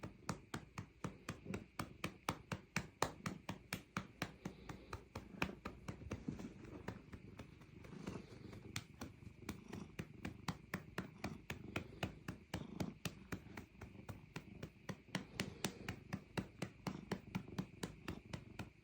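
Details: Cat being patted on the rump, purring under a steady run of rhythmic pats, about four taps a second throughout, with a soft low purr beneath.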